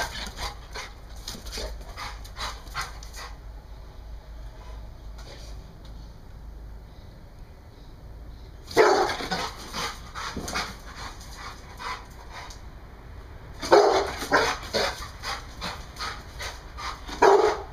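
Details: An American Bulldog lets out loud, harsh barks in short clustered bursts, one group midway and another near the end, with quieter stretches of low background noise in between.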